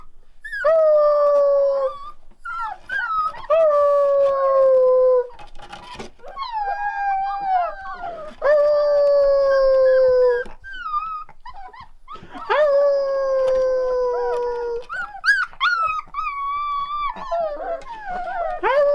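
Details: A litter of one-month-old Rottweiler puppies howling together: long, steady, mid-pitched howls of one to two and a half seconds, overlapping voices, some wavering or sliding downward, with short whines and yips between them.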